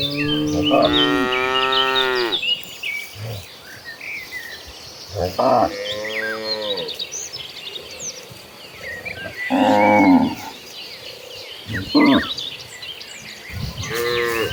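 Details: Herd of cattle running across green pastures, lowing repeatedly: several harmonic moos, some long and falling, others short and rough, separated by quieter gaps with busy chirping birds in the background.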